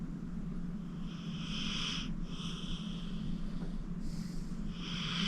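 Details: Old rescued pit bull Acorn, aged 14, asleep and snoring. Three short raspy breaths follow each other about a second apart against a steady low-pitched household drone.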